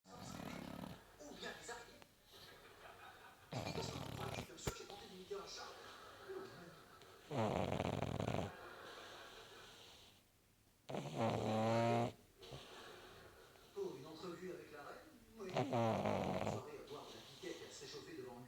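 A pug snores in rough, rasping bursts, with people talking in between.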